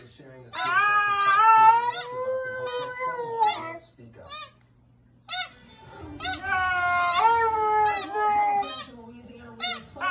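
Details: A Husky-Samoyed mix dog, which howls only when it hears a squeaky toy, gives long, wavering howls punctuated by sharp, high squeaks from the toy.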